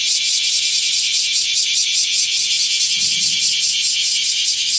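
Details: A loud summer chorus of bear cicadas sounds from a garden bayberry tree where cicada shells were found, a harsh, rapidly pulsing buzz that never lets up.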